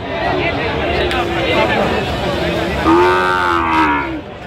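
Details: Sahiwal bull calves at a cattle market in Gazipur, Bangladesh, 27 October 2025. A drawn-out low moo swells and fades near the end, under steady men's voices and market chatter throughout.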